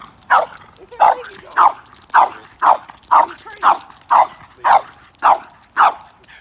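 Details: Two-year-old French Bulldog at a dog trainer in Port Saint Lucie, Florida, giving a steady run of about ten short, sharp, mid-pitched barks, each roughly half a second apart, with nothing else clearly heard.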